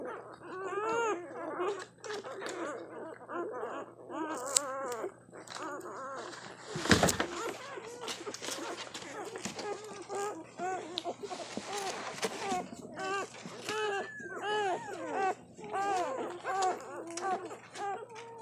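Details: Hungry one-week-old nursing puppies give high, wavering squeaks and whines, many overlapping in a steady chorus.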